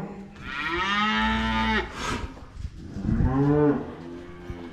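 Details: Cows being herded home: a long, deep moo lasting over a second, then a brief rough noise and a second shorter, lower moo with a rich buzzing tone.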